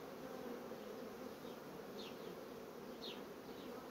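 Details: A constant buzz of honey bees in colonies quickly building brood frames. Brief descending chirps sound twice, about one second apart, behind the hum.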